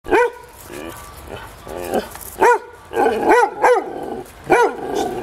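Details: Podenco Ibicenco dogs in an enclosure on Ibiza, several short arched barks in irregular bursts, with road repair noise in the background and a man's voice.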